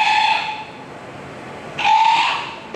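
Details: Newborn South American sea lion pup, born the previous month at Toba Aquarium in Japan, its call likened to a car horn: two loud, harmonic, bleating cries, the first about 0.8 s long, the second following after a one-second gap.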